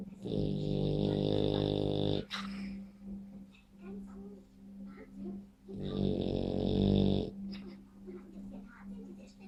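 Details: French Bulldog snoring: two long, loud, raspy rattling snores with rich layered tones, about two seconds and one and a half seconds long, separated by quieter breathing, over a steady low hum.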